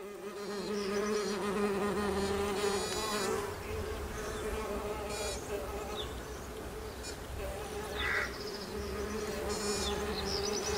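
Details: Bees emerging in spring, a steady low droning hum with a constant pitch throughout, while short high bird chirps and trills break in from time to time above the drone.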